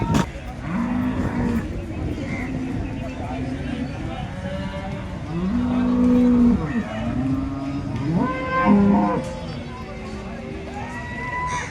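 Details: Holstein Friesian cows at the Loni cattle market on market day: several long, low, steady moos, some rising at the end, one after another over crowd murmur and distant voices.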